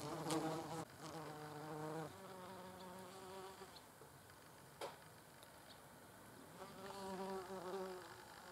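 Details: Wasps feeding on mirabelle plums: a low, droning wing buzz with rich overtones fills most of the recording, briefly cut off near one second, with a sharp click midway and a louder buzz returning at the end.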